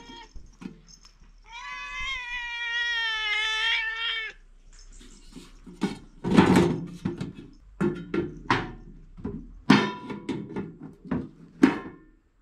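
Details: One of two pet cats eating dry cat food indoors gives a long drawn-out meow lasting over two seconds, followed by loud crunching and chewing bursts of the dry food.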